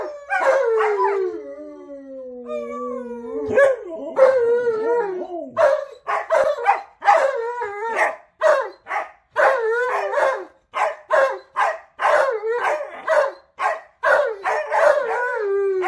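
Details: Alaskan Malamute talking on a morning roll, answering his owner who tries to speak his language while a second dog joins in: long sliding howls at first, then rapid wavering vocal bursts in quick succession with short gaps.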